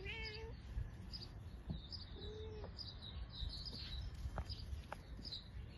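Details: Mother cat, said to be upset by her kittens' mischief, gives a short harmonic meow at the start, then a fainter second mew two seconds later, over steady high chirping from birds or insects and low background rumble.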